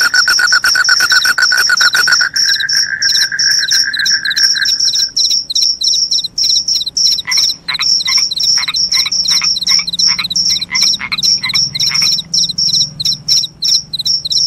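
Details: Crickets with a loud, shrill voice chirp steadily in high, quickly repeated bursts. A dense lower trill fills the first five seconds before fading, leaving the sharp chirps over faint lower pulses.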